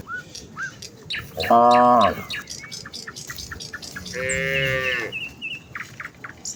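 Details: Herd of village cows heading for the fields at morning, calling to each other: a short loud moo followed by a longer, softer, falling one, amid frequent bird chirps and whistles.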